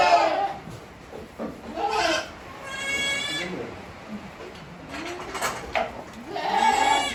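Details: Tokara goat family with 18-day-old kids on a farm in Himi, April 29, 2022. Scattered bleats, with a clear harmonic cry near the middle and another at the end, over rustling background noise.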